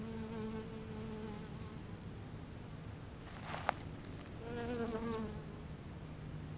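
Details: Buzzing bees among purple flowers, a continuous humming drone with clear harmonic tones, a brief click near the middle, then a nearer, wavering buzz rising and falling over the last two seconds.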